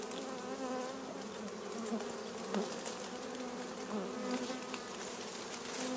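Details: A crowd of honey bees humming loudly around a smoked wild beehive during honey harvest; a rich, pulsing drone with wavering overtones and faint crackling.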